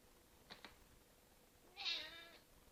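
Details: Cinnamon, a Red Point Ragdoll, makes funny noises at a bug: two quick tiny clicks, then one loud, bright, slightly rising-and-falling chirping meow lasting about half a second, over faint room hum.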